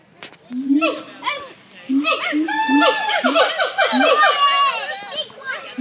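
A troop of monkeys chatters with overlapping squealing, rising and falling calls.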